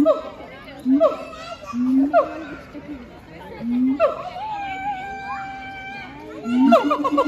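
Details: Siamangs Heart and Brave at Chiba Zoological Park, Japan, on 12 November 2022, singing their duet: low rising hooting notes, each followed by sharp upward barks, repeated about every second, over steady visitor chatter.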